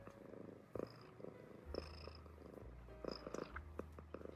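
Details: An American Shorthair cat purring close up: a quiet, steady low rumble pulsing continuously, interrupted by soft clicks and light rustling.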